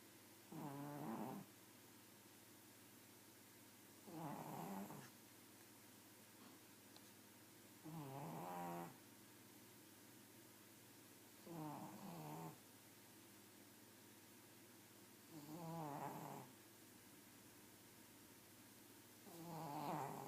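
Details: A pug asleep and snoring steadily: six rattling, nasal snores repeated roughly every three to four seconds, each a short buzzy burst, in a quiet indoor setting.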